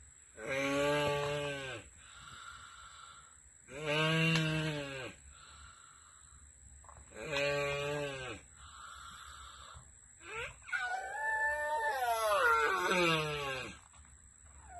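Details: Asian black giant tortoises (Manouria emys phayrei) mating at the Turtle Survival Center. Four low, rich, mooing groans come at steady intervals, then a wavering, higher, warbling moan toward the end.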